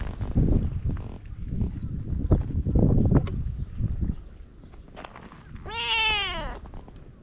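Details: Feral cat on a Japanese cat island, filmed on a GoPro: one clear, drawn-out rising-then-falling meow near the end, after several seconds of handling noise, footsteps and low rumble.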